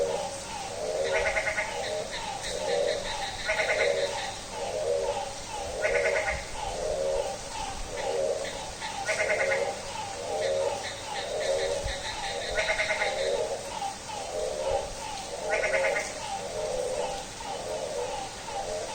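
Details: Frog chorus at midnight on a rainy day: steady, goat-like pulsed bleats repeating nearly once a second throughout, joined every few seconds by higher, rapid rattling calls, over continuous background hiss.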